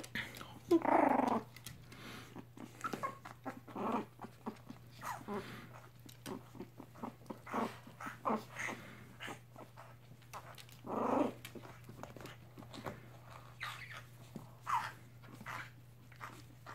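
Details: Three-week-old mixed Chihuahua puppies and their mother in a foster home indoors; repeated whining and squealing bursts, loudest near the start and around eleven seconds, with soft grunts between and a constant low hum.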